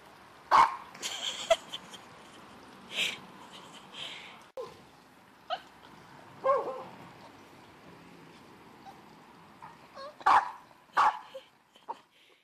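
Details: A dog barks at a tree, apparently believing something is up in it; sharp single barks come irregularly, in clusters near the start and end, over about twelve seconds, with quiet hiss between.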